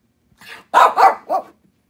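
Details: Shih Tzu dog, bored indoors on a rainy day and doing zoomies in a basement, gives one soft yip followed by three quick sharp barks.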